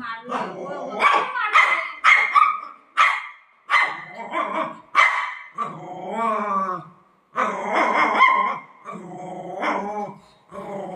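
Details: Golden Retriever playing and fighting with its mom. Short, sharp barks and growly bursts come in rapid, uneven succession while a woman speaks in Marathi, talking to the dogs and telling them to sit.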